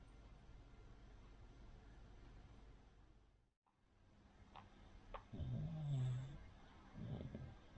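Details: Rin, a Cavalier King Charles Spaniel, sleeps and snores like a pug or bulldog because of her flat nose. After a quiet stretch, low, rumbling snores begin in the second half, with soft clicks just before them.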